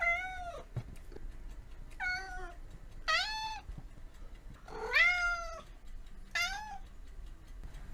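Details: Cat meows, about five falling, whining cries spaced roughly a second apart, heard over steady background hiss and low rumble.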